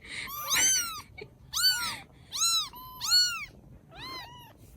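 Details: Rescued baby kittens in Vietnam, cared for after rescue, give about five high, arched meows in quick succession, each rising then falling, with short quiet gaps between them in a small indoor space.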